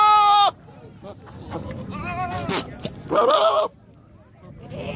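A goat gives loud, nasal bleats with a wavering quaver while people talk nearby.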